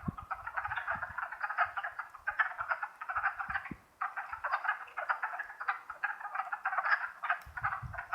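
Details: Wood frogs calling together in spring in the Longkill Woods, April 2014: a thick, unbroken mesh of hoarse clucking notes, briefly dipping near the middle before surging back, with soft low thumps below.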